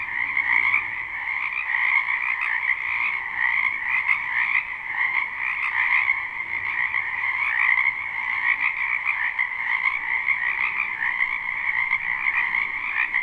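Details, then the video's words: Many frogs call together in spring wetland, recorded live without looping; the croaking merges into a continuous buzzing, trilled wall of sound, gently swelling and fading, with nothing else clearly audible. "Ambient Noise for Sleep Frogs"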